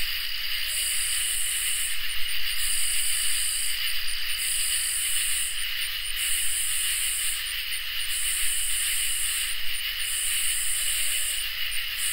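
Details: Crickets and katydids in a summer night chorus: loud, buzzy, high-pitched bursts about a second and a half long, about five in twelve seconds, layered over steady, continuous shrill trills, with a faint low rumble beneath.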